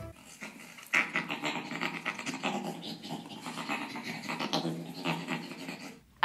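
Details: A gorilla's laugh, described as an invitation to play: rapid, breathy, rasping pants for about five seconds, rising and falling in loudness, with no other clear sounds.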